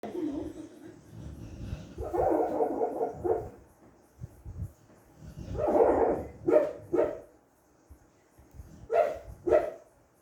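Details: A sleeping female American Bully, apparently dreaming, gives muffled, stifled woofs and soft whimpering grunts in short irregular bursts.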